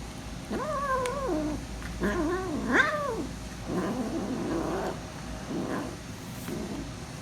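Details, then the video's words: A hungry female kitten noisy and protective over her food as she eats, voicing a run of drawn-out wavering meows and grumbling growls, several in a row over about five seconds, rising and falling in pitch, against low hum. "Hungry Kitten Is Very Protective To Her Food And Noisy When Eating"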